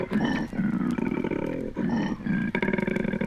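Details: Courting koalas in Australia, recorded on a 1968 record: deep, throbbing, pulsed snore-like bellowing in rapid rhythmic bursts, rising and falling with brief breaths between phrases.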